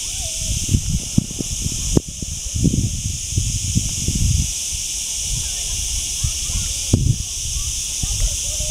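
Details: Chicharras, cicadas, droning in a constant shrill, high-pitched hiss that never pauses, with bursts of low rumbling wind or handling noise beneath and occasional brief thumps.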